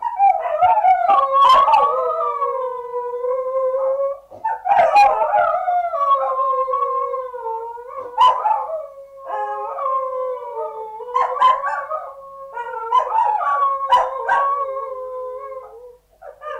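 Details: Indoors, Samoyed puppies howl together in overlapping wavering voices. The long tones rise and fall and break into yelps every few seconds, and the chorus sways up and down in pitch throughout.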